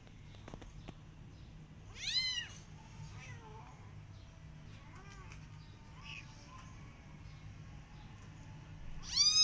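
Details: Out in a garden with her adopted kittens, a Persian cat watches rabbits. One clear, arching meow near the start, several faint short mews in between, and a rising meow at the end over low background hum.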